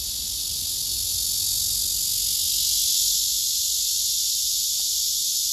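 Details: Cicada, a male, singing on a tree: an intense, sustained, sizzling buzz high in pitch, swelling a little midway, with a faint low rumble underneath.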